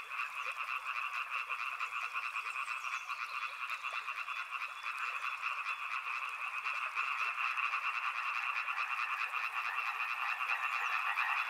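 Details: Riverside frog chorus: countless overlapping croaks merge into a steady pulsing drone, growing a little louder and denser toward the close.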